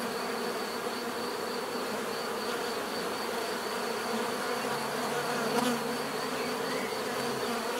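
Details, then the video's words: Bees buzzing naturally, a steady dense hum with layered bands in the low-mid range and a faint high whine, continuous and unbroken throughout, with no other clear sounds. "bees therapy relaxing natural buzzing sound"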